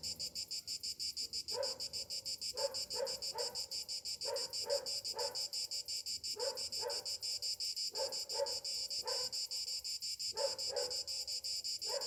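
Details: Cicadas singing on a summer morning: a steady, high, shimmering buzz with fine rapid pulsing runs through the whole clip, while clusters of lower, harsh, rough bursts break in every second or two in the background.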